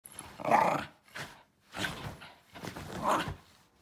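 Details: Shiba Inu dog reacting to a backscratcher it dislikes, giving three harsh, throaty grumbling growls, each about half a second to a second long, separated by short pauses.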